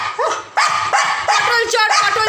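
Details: Pet dog named Leo, excited after stealing a pointed gourd, gives loud, harsh, rapid barks about every third of a second, with a woman laughing and shouting nearby.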